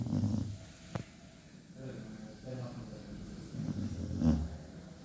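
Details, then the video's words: Cocker Spaniel snoring loudly while asleep: deep, rumbling breaths in low bursts, one at the start and a stronger, rattling snore around four seconds, with a soft hiss between. "My dog snoring loud while sleeping"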